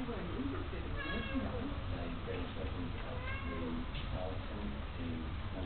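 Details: Two 3-year-old Selkirk Rex cats living as a pair in Australia; two short tonal meows, near one second and three and a half seconds, over a heavy low rumble and a person speaking.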